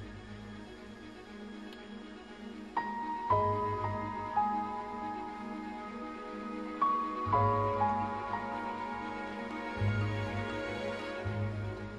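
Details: Soft, slow instrumental music with sustained melodic notes and a low steady hum underneath; no animal voices are heard.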